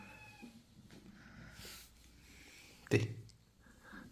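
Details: British Shorthair kitten indoors giving a short, tonal meow at the start, followed by a woman's affectionate Russian speech and a sharp knock partway through.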